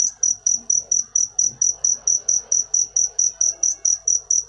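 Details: Sweet, ringing cricket chirps, clean and high, pulsing regularly about four times each second against a quiet, faintly murmuring background.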